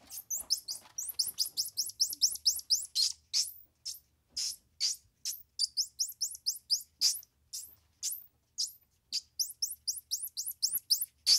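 A squirrel monkey utters piercingly high, twittering chirps, each a quick sweeping note. The calls come in rapid bursts of two or three, repeated several times a second with brief pauses.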